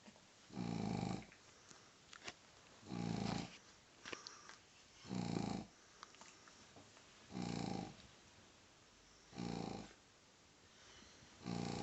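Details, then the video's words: Hubi, a pug, snores extremely loudly indoors while being teased: deep, rasping snores recur about every two seconds, each a rough, buzzy breath, with faint clicks and rustles between them. "Extrem laut schnarchender Mops wird geärgert"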